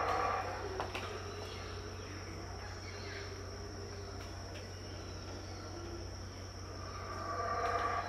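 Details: Howler monkeys heard but unseen at Tikal, Guatemala, around 6am: distant, muffled roaring swells at the start and again near the end, with a steady high insect whine and low hum between them.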